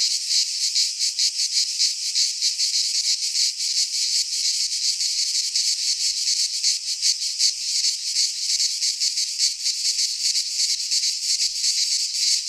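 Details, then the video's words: Cicadas in a Greek pine forest at midsummer producing an intense, sizzling high buzz, pulsed rapidly and somewhat irregularly, a steady wall of insect sound without other noises. "Cicadas singing in midsummer - Nature sounds from the Greek fauna - Sounds of cicadas"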